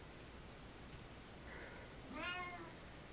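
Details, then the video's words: Pet cat meowing to beg for attention outside a bathroom; a soft murmur is followed by one clear rising-falling meow with bright harmonics near the end, and faint clicks are heard earlier. "How my Cat begs for attention"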